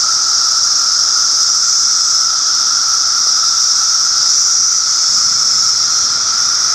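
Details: Steady shrill buzzing of cicadas, a continuous high-pitched hiss with a fainter lower droning tone, unchanging in level throughout with no pauses or other clear sounds.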